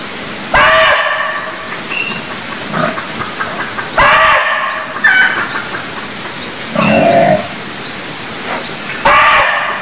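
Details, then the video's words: Cambodian barking deer calling three times, roughly every four seconds: abrupt, loud, rasping bursts with a strong harmonic band. Softer grunting notes fall between calls, and thin rising chirps repeat in the background. "Cambodia Sound Deer Calls || សម្លេងសត្វឈ្លូសស្រែក"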